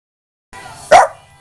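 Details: A 14-year-old female Boston Terrier, coaxed to "talk", gives a single short, tonal, yowl-like bark, the breed's vocal talking.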